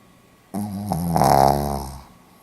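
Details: Pomeranian dog snoring indoors, recorded 4 November 2015 in Hiroshima: after half a second of quiet, one long rasping snore of about a second and a half with a harsh buzzy tone that swells in the middle and then fades away.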